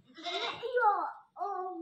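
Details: Constant calling from a newly bought goat: a rough, breathy bleat that rises then falls, followed after a short pause by the clear start of another bleat.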